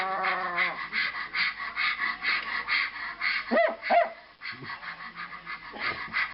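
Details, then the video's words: A Bichon Frise, reacting to a certain YouTube video, makes a run of odd, throaty whines and grumbles, rising and falling in short bursts. "Bichon Frise funny noise"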